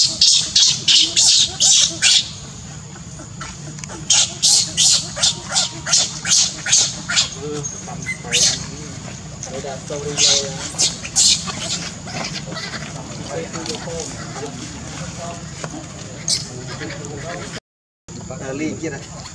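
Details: Newborn baby monkey Leo, one of the abandoned monkeys in the Bayon area, gives rapid, shrill squealing cries, calling out to its mother for help.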